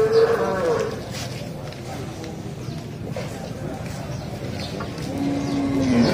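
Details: Cattle being loaded onto an L300 pickup truck; two short lowing moos, one at the very start and one near the end, with handling noise and murmur in between.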